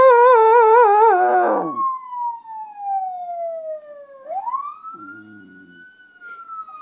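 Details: Pet female dog singing along to a siren, as she does whenever she hears one; a loud wavering howl with a quivering pitch opens, then a long falling siren wail and a rising siren sweep take over.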